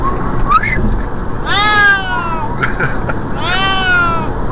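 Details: A Siamese cat travelling by car in the passenger seat gives two loud, drawn-out meows, each sliding downward, over the steady low rumble of the car.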